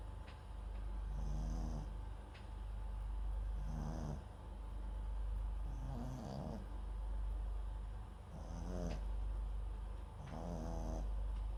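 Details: Pet mix of Papillon and Japanese Chin, MAX, asleep at home; five gravelly snoring breaths over about eleven seconds, each a pulsed low rattle topped by a thin whistling hiss, with occasional faint ticks in the quiet gaps.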